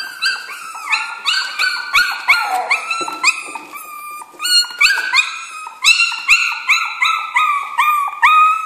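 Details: A litter of Jack Russell Terrier puppies in a kennel, loud high whines and squealing yelps in rapid overlapping bursts, many short rising cries repeated several times a second in a near-constant chorus.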